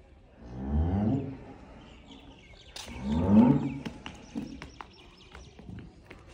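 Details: Young cattle giving two lower, rough moos that sweep down in pitch, about two seconds apart, followed by scattered clicks and rustling.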